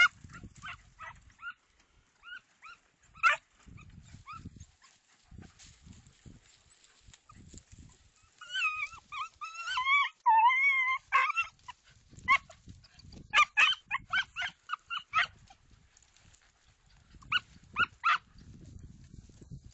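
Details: Segugio Italiano hound giving short yelps, then a drawn-out wavering bay near the middle, followed by bursts of quick barks, with rustling and low thumps of movement between calls.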